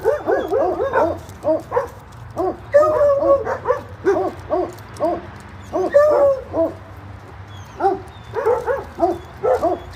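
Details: Doggy daycare dogs barking after a person sits down: a dense, near-continuous run of short, sharp, yappy barks, several overlapping voices with slight squeaky whines mixed in, steady low hum beneath.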